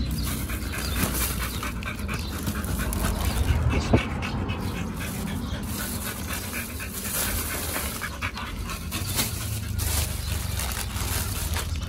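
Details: At a dog hotel picnic for Chinese New Year 2021, Pit Bulls Oliang and Nomyen eat raw meat. Irregular panting mixes with crunching bites, a sharp click near four seconds, and faint background noise.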